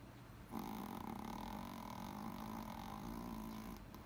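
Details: Snoring Toy Poodle giving one long, steady, rasping drone that starts abruptly and holds evenly for over three seconds, rich in buzzy harmonics, then cuts off.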